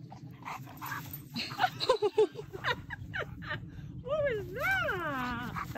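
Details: Siberian Husky at play with a puppy gives short yelping whines over voices, then a long, loud, warbling howl that rises and falls twice in pitch.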